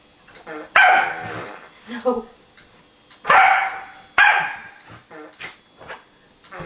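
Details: A female corgi gives three loud, sharp barks while attacking a remote-control whoopie cushion hidden under a sofa cushion, with softer murmurs and a person's voice in between.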